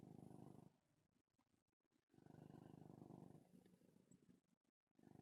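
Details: Domestic cat purring while kneading his bed, a low rumbling motorboat purr in two long stretches separated by a quieter pause, with faint rustling near the end.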